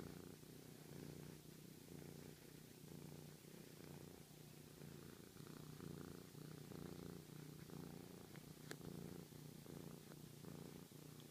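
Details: Continuous low rumbling purr from Sochi the friendly cat, said to show love this way; even droning pulses roughly once a second, with a brief light click near the end.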